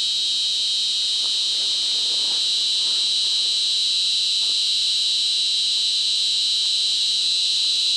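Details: Clara cicada, 23 mm, of Afghanistan, Kyrgyzstan, Mongolia, Egypt, Iran, Israel, Spain and North Africa, producing a sustained piercing metallic drone with a bright high band, steady and unvarying, with faint low background noise.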